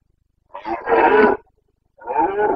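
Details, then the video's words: Red deer stag of the Carpathians, Bucovina, breeding season, late September 2022, giving a long hoarse roar of nearly a second followed by a shorter second bellow, deep throaty and harmonic, no other sounds. "Boncănit / Carpathian stag Breeding season"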